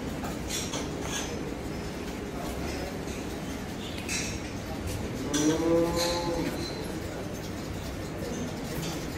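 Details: Cattle gathered at Dhaka Agro in Bangladesh for Qurbani Eid 2024: one drawn-out, low, harmonic-rich moo about midway, set against a steady crowded din of voices and bustle.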